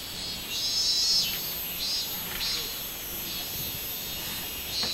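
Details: Shrill, sustained high buzzing of a robust cicada on 24 July 2016, with short louder bursts early on and a steady drone continuing throughout.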